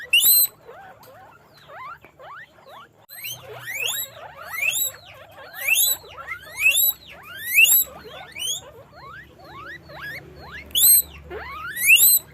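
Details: Farm guinea pigs in a cage make a busy chorus of upward-sweeping squeals, sparse at first, then repeated loud shrill squeaks roughly every second from about three seconds on, with faint low hum beneath.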